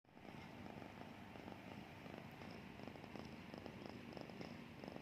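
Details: A sleeping cat snoring: a low, continuous rumbling with fine rapid pulsing, steady in loudness throughout, over a faint constant tonal hum.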